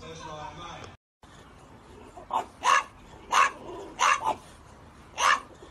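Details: Short barks from a French Bulldog in a funny-moments compilation, five sharp bursts at irregular one-second intervals after a brief whine and a moment of silence, with voices in the background.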